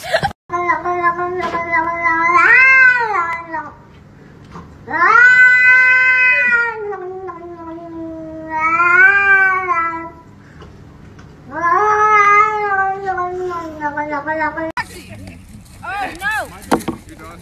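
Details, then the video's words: Domestic cat giving four long, drawn-out yowling meows, each about one to two seconds, rich in harmonics and wavering in pitch, separated by short pauses; a steady low hum underneath and a brief clatter with other noises at the end. "Angry Cats Super Pets Reaction Videos MEOW"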